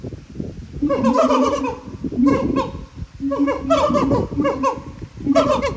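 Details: Siamangs at Japan Monkey Center sing in loud, ringing bursts of harsh barking notes that tumble downward in rapid series, their throat sacs amplifying the calls.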